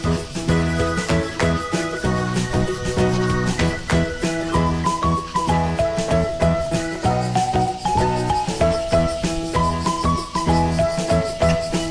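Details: Bright, jingly music with bells and a simple melody plays throughout, with no animal voices.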